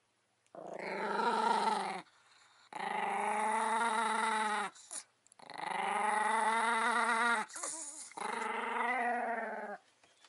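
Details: Angry pet Chihuahua growling at a camera pushed close to it, long sustained harmonic growls in three bouts of about one to three seconds each, separated by short silences, with a faint whimpering note near the end.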